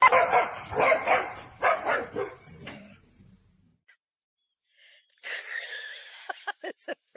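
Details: Dog barking during a playful home moment: several harsh, broadband barks in uneven succession over about three seconds. A quiet gap follows, then a burst of noise with sharp clicks near the end.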